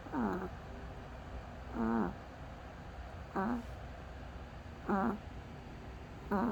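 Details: Dog snoring in its sleep, each breath giving a brief wavy, whistling squeak about every one and a half seconds, with quiet pauses between against faint background hum.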